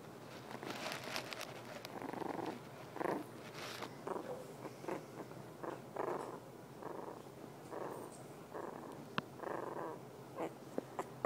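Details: Havanese puppy, female, making sleepy grunts while going to sleep; faint, muffled snuffly grunts recur roughly once a second, soft and low-level, in a quiet indoor room.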